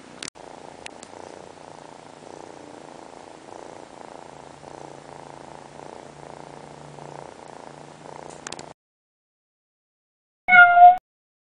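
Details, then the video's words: Kitty purring as it drifts off to sleep: a steady, quiet rhythmic purr pulsing about twice a second for roughly nine seconds, then silence broken by one short high chirping meow near the end. "A purring kitty goes to sleep"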